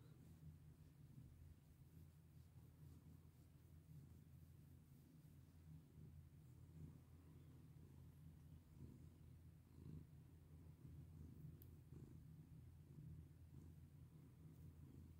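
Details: Domestic cat purring steadily while being petted indoors, a continuous low rumble with even pulsing throughout, soft rustles of hand strokes over it.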